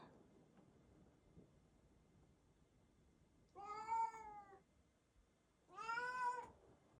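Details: Siamese cat Kkami meowing indoors after being asked why it cannot open the door; two separate long meows about two seconds apart, each rich and slightly rising then falling, with quiet room background between.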